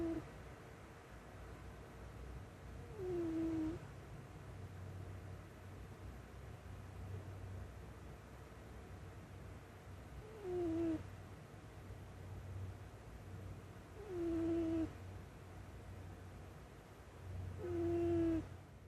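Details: Sleeping cat lying on a lap gives four whistled, falling snores at uneven intervals of about four to seven seconds, each with a faint upper overtone, over quiet low-pitched breathing noise.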